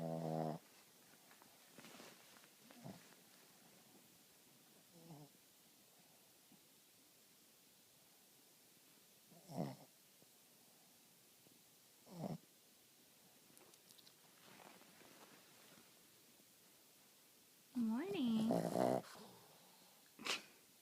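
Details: A sleeping dog snoring loudly indoors: rough, breathy snores arrive at uneven intervals several seconds apart over a quiet background, with a longer, louder nasal snort that has a whining tone near the end.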